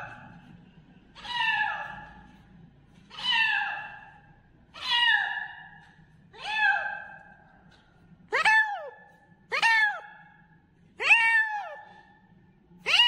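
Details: Kitten meowing loudly in a run of about eight cries; earlier ones softer and wavering, later ones sharper, higher and more abrupt, spaced around one to two seconds apart.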